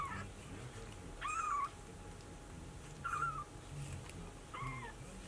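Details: Kitten calling for its mother, a brown Maine Coon at a Tokyo breeder: four short, plaintive meows spaced roughly 1.5 seconds apart, each bending upward then dropping, with a low indoor hum beneath.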